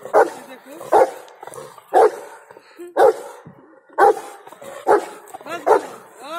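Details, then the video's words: Bolt the Rottweiler, angry yet playful, barking in heavy, forceful single barks spaced about once a second, each bark broad and harsh, with little else heard between. "Vlog of Rottweiler : Angry and Play at the same time"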